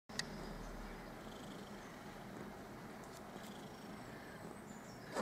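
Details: Domestic cat purring, content and happy while lying on her newspaper; a steady low continuous rumble throughout with faint clicks and a couple of brief higher sounds near the start and end.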